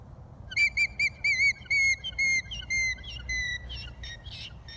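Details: Worried alpaca giving its alarm call: a rapid series of about a dozen shrill, whistled, harmonic notes, roughly three per second, sliding slightly lower in pitch as the series goes on, over a low rumbling background.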